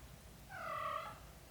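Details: British Shorthair kitten cared for by its mother cat, from a litter of black golden and blue golden kittens; one clear tonal mew lasting under a second, swelling then fading, against a quiet indoor background.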